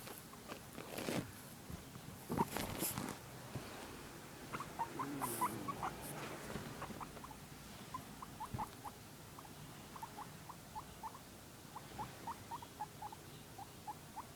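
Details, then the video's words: Harley, a pet guinea pig, making curious noises indoors: after a few rustling knocks early on, short high squeaky chirps come in quick repeated runs, several per second, steady to the end. "Harley making weird noises"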